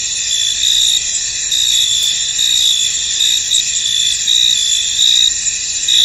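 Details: Crickets in a misty, foggy field: a dense, high-pitched chorus of steady shrill trilling with pulsing chirps that swell and fade roughly once a second, no other clear sounds.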